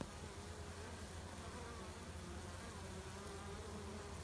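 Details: Western honey bees washboarding, rocking back and forth a few steps on the front of the hive: a steady, low, level droning hum.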